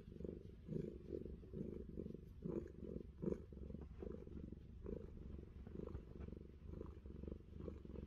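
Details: Pet cat Fluffy purring during an ear scratch on a New Zealand orchard; a low buzzing rumble rises and falls in uneven breathing pulses, roughly one per second, with soft rustles of fingers against fur.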